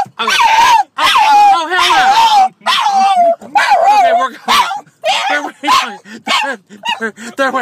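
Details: Excited French Bulldog heading to doggy daycare on a Saturday, yowling and whining in wavering, bending cries of uneven length, broken up by short yips, while his owner talks over him and tells him to calm down.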